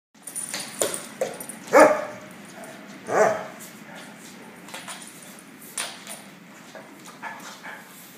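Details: Two female dogs, a Labrador and a Golden Retriever, playing together at a dog boarding kennel; short rough vocal bursts, the loudest two about a second apart, amid scuffling and faint background noise.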